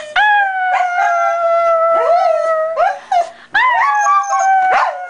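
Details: Jake, a pet Shetland Sheepdog trained to vocalize when his owner talks to him this way, answers with long tonal howling whines, held steady then bending down, in several drawn-out phrases with brief breaks, indoors.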